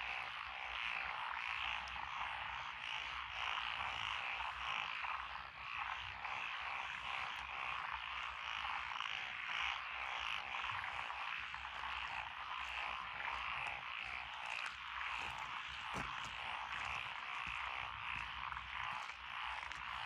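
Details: Rice-paddy frogs, including Japanese tree frogs and wrinkled frogs, chorus among lotus fields on a rural road in Echizen, Fukui, Japan, in June 2021. A continuous, evenly loud din of croaks hangs over the fields without pause.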